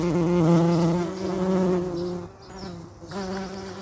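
A bumblebee gives a low, steady, droning buzz that wavers slightly in pitch.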